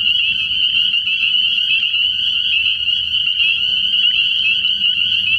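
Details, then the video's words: Spring peepers calling from a frog pond at night early in the year: a dense, unbroken chorus of high, shrill peeps blending into a steady ringing wall of sound, with a faint low hum underneath. "Relaxing Tree Frog Sounds"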